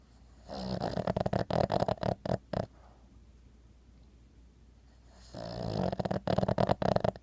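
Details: An 11-year-old female Boston Terrier snores, twitching in sleep, in two long rattling bursts separated by a quiet pause.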